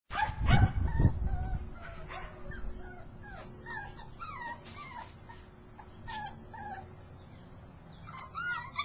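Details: Portuguese Podengo male dog vocalising: a few loud low barks at the start, then a run of high, wavering whimpers and yips rising and falling, fairly irregular, with quiet background hum.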